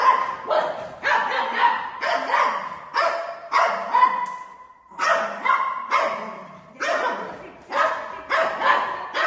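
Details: Family golden retriever named Buzo lunging at mummy at home: rapid, rough barks repeated about twice a second, broken by one brief pause midway, with a woman speaking softly afterward.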